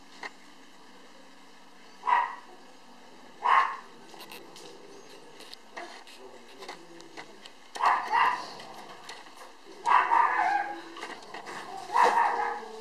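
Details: Black male puppy born 10 November, filmed 9 January 2013, barking indoors in short bursts about every two seconds, some barks clustered near the end, with faint voices in a small room.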